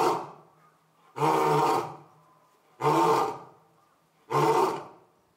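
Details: Male lion Orito roaring at Asahiyama Zoo in September 2022, shortly after the female Io gave birth; a series of loud, rough, roughly half-second roars spaced about one and a half seconds apart, with quiet gaps between.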